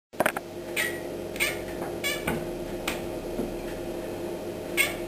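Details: Domestic cat indoors chattering on seeing a fly on the ceiling: about five short, clipped, harmonic chirps spaced irregularly over five seconds, over a steady low electrical hum in a small room.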